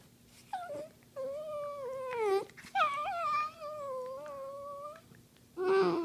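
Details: Dachshund indoors, play-wrestling on a couch, producing long, sustained whining moans that waver slightly in pitch across several seconds. The moans are broken by brief gaps and end in a louder cry, with faint room noise behind.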